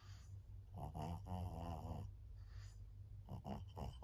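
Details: Maria, a 14-year-old fawn female senior pug in Japan, recorded 25 August 2024: rough, low snorting breaths with a buzzy rattle, one long drawn snore followed by a pause, then a cluster of three short snorts.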